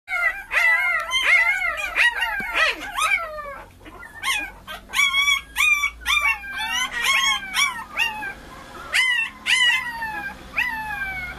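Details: Several puppies howling and yipping together: high, wavering cries that rise and fall, overlapping in a dense chorus of short sliding notes, with a faint low rumble beneath.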